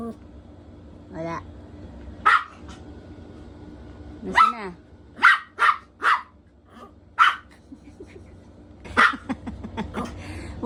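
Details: Poodle puppy playing hide and seek indoors gives short, sharp barks, singly and in quick pairs, spread across the stretch, with speech and household background between them.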